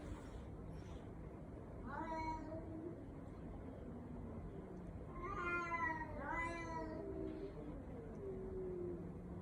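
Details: A cat with a baby-like voice gives a few rising then falling meows, two of them close together, over a low steady background rumble.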